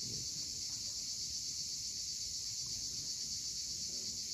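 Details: Sunset cicada chorus from the rocky Crimean shore at Cape Fiolent: an unbroken high-pitched hissing drone, even in loudness, with soft low surf murmuring beneath.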